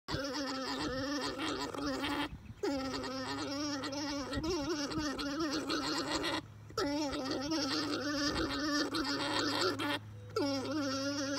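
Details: Alpaca during breeding, giving a continuous buzzy, gargling drone with many stacked harmonics, broken by short breathing pauses about every four seconds.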